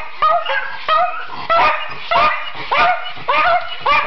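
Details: Schipperkes singing on request give a run of rising, wailing yip-howls, each about half a second long and repeated roughly every 0.6 seconds, with harmonics climbing and falling in a yodelling pattern.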